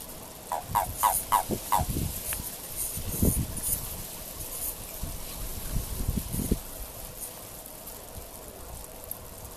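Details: Japanese common toad during courtship in March 2023, giving a quick run of about six short, clucking notes near the start, followed by rustling and low thumping sounds.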